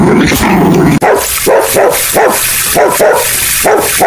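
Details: Puppies playing with toys on green grass outdoors, barking in a rapid series of about ten short, sharp barks over three seconds, with a steady hiss of background noise throughout.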